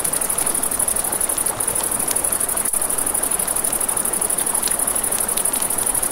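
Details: At night by a river, crickets give a fast, pulsing high-pitched trill that throbs in quick regular beats, with a campfire crackling and a river murmuring underneath.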